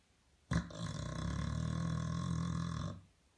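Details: Pet dog snoring loudly indoors, a single long rasping snore lasting about two and a half seconds, deep and rumbling with a steady buzzy vibration; said to snore so loud the television cannot be heard.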